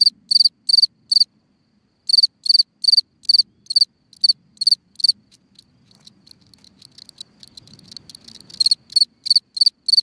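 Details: At night, a cricket singing from a hole in the ground chirps in short, high, shrill bursts, repeated in quick runs with brief pauses.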